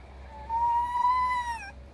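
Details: Male red fox kept indoors and said to be in a bad mood: one long, steady, high-pitched whine of over a second, slightly rising and then dipping at the end, with strong overtones, over a quiet low hum.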